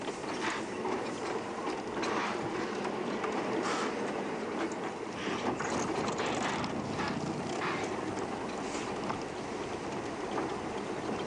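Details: A steady mechanical rumble and rattling, like a vehicle or machinery, fills the recording with no animal voice. Brief clicks and knocks stand out over the constant drone.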